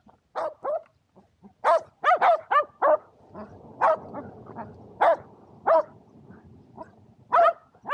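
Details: Shetland Sheepdogs Power and Beat barking eagerly during a frisbee game on a clear February 2022 day; high, ringing yaps in rapid clusters, with a faint low rumble of background noise between them.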